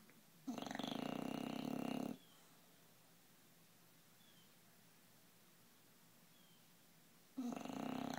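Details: Bulldog, 11 months old and 60 pounds, in a deep noisy sleep: one long harsh snore lasting under two seconds, a quiet pause of about five seconds, then the next snore starting.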